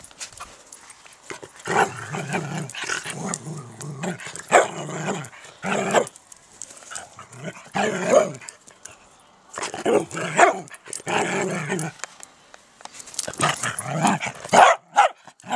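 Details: Dachshund at a garden allotment plot, barking in repeated loud bursts with growling undertones. Runs of rough barks come in clusters separated by short pauses, with quieter rustling between bouts.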